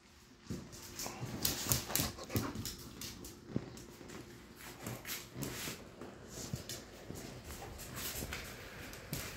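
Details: Pit bulls fighting indoors, with rapid scuffling thuds, short whimpers and yelps in quick irregular bursts over broadband rustle, and a man calling out close by.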